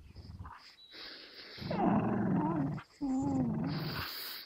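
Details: Two dogs, Gerundio, an American Staffordshire Terrier, and Baloo, a Beagle, locked in a tug-of-war standoff over a fabric toy, teeth clamped in; a low, rough growl with wavering tonal whine over it, rising then briefly breaking off.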